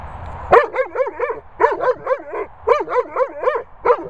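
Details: Weimaraner guarding a ball from a Labrador, voicing tight clusters of three to four wavering, moaning yips in quick succession, with brief gaps between clusters.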